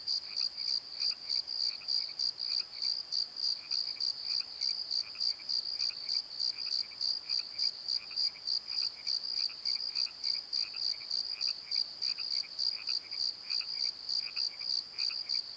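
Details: Nighttime crickets in a valley bottom near Pozo give an unbroken high, rapidly pulsed chirping, accompanied throughout by a softer, lower second chirper calling in short repeated bursts.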